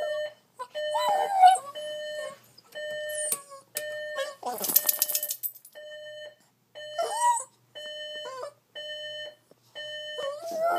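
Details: Boston Terrier indoors reacting to an alarm clock it dislikes, giving bent, wavering whines and short howls that rise and fall, woven between steady beeps repeated about every second, with one loud noisy burst midway.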